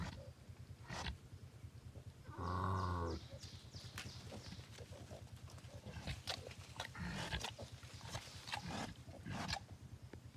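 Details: Wild boar piglet calling: a drawn-out, low, harmonic grunting squeal lasting about a second early on, surrounded by rapid soft clicks, snuffles and short rustling pulses throughout.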